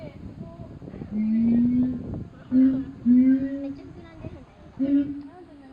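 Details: A siamang at Higashiyama Zoo gives low, hooting calls that swell and slightly rise, repeated in quick succession.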